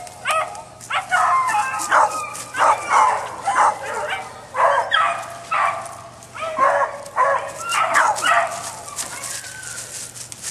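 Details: A dog named Bouncer barks steadily in a rapid series of harsh, ringing barks, roughly one or two each second for ten seconds, with some overlapping yelps.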